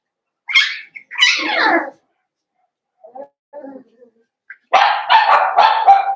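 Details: Cavalier King Charles Spaniel puppies, a blenheim litter of five, in a home puppy pen. High yappy barks open the sequence, then soft faint yips, then a dense burst of three loud, harsh barks in quick succession.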